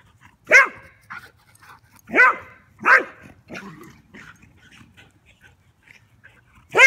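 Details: German Pinscher named Rooney playing outdoors with a Rat Terrier; short sharp barks or yips at about 0.5, 2.2, 2.9 and 6.8 seconds, with softer grumbling sounds between them.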